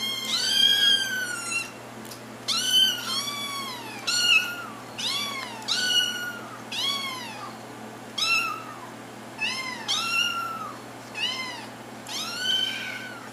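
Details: Kittens calling for attention: about a dozen insistent meows, each rising then dropping in pitch, repeated roughly every second over a faint steady room hum.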